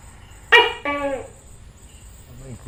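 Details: Tokay gecko giving a two-part call: a sharp, loud harmonic first note followed at once by a lower, slightly longer drawn note, with a faint steady high whine in the background.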